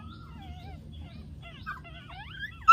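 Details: Newborn Dachshund puppies from a home litter, twelve days old and just opening their eyes, before their first supplement feed. Thin, wavering whines rise and fall, several overlapping, over a low hum, ending in a sharp click.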